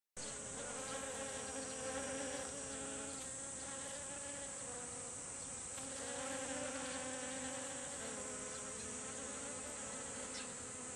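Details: Honeybees gathering in a group at kumquat flowers in a garden to collect nectar: a steady, low droning buzz with layered humming tones that swell and ebb. A constant high hiss runs throughout.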